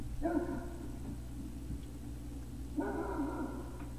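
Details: Great Dane puppies at Puppy Hill, recorded 3 May 2019 around 17:06, give two drawn-out, tonal whining yelps of almost a second each, the second following about two and a half seconds later, over a steady low electrical hum.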